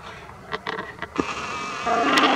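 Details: Three young red fox kits playing make a few soft scuffling clicks, then a thin, bleating whine rises at the end.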